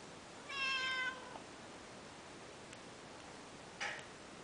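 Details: Two-and-a-half-month-old Peterbald kitten playing indoors gives one bright, harmonic-rich meow lasting about half a second, slightly falling at the end, followed by quiet room hiss and a soft click near the end.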